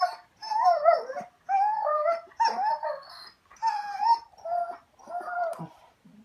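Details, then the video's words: Raven, a pet German Shorthaired Pointer talking back: a string of five or six drawn-out, wavering whines and moans, each about a second long with brief gaps, rising and falling in pitch like speech. "Dog talks back"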